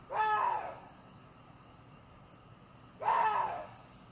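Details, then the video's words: Two rasping, arched cries from a water deer, each about half a second long, separated by nearly three seconds of near silence with faint hiss. "WATER DEER SOUND EFFECT 고라니 울음소리"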